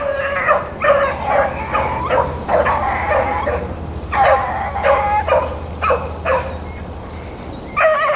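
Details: Bluetick and Blackcreek hounds running rabbits in April, baying in long tonal bawls repeated about every second or two, with steady low rumbling noise beneath.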